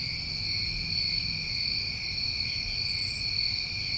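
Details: Chorus of New England summertime crickets, a steady high trilling drone holding level throughout, with a brief higher insect burst near the third second and faint low rumble beneath.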